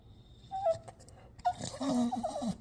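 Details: A Staffordshire Bull Terrier makes odd, whiny, grumbling vocalizations with short squeaky notes.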